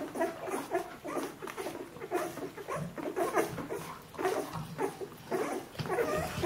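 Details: Two-week-old Bernese Mountain Dog puppies of one litter making short, mid-pitched whimpering squeaks in quick clusters, with soft rustles in a small room.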